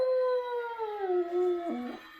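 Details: Dog singing along to church bells: one long, clear howl that glides slowly down in pitch and ends in a brief wobbling break. Faint steady ringing tones sit in the background.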